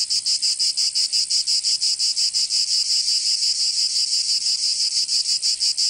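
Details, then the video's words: Cicadas singing in summer in Provence, southern France: a loud, dense, high buzzing chorus pulsing rapidly about three times per second, steady and continuous, with no other sounds. "Canto Cigarra 🦗 [ Escuchar les cigarras en verano 10 H]"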